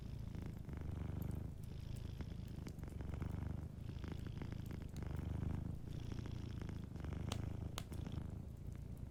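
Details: Sleeping cat purring softly, a deep continuous rumble that swells and eases in steady breath cycles of about two seconds, with faint crackles from a fireplace in the background.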